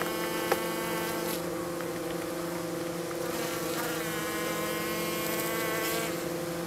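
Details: Hygienic honey bees at a hive south of St. Paul, Minnesota, on a mild March 16 first warm day, flying and removing dead from the hive bottom; steady buzzing hum with layered harmonic tones and a brief click near the start.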